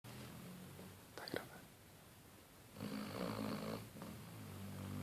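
A Basset Hound snores in its sleep, each breath a low, droning rumble with a rough, fluttering rasp. One longer, louder snort stands out midway, and the room is otherwise quiet.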